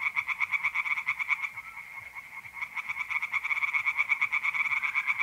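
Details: Tree frogs calling by night in a pond in north-eastern Italy in mid-April, dense rapid croaks that briefly thin out then resume, with a mole cricket trill sustained throughout.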